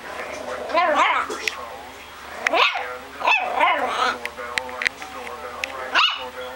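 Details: Young puppy giving a series of short, high, arching yips and squeaky whines in small bursts, with gaps of quiet between them, alongside a person speaking and sharp handling clicks.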